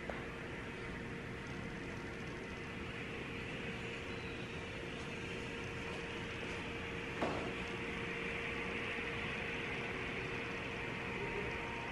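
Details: Steady indoor hum and broadband noise like a fan or machine with a faint tone and one brief click, with no animal voice.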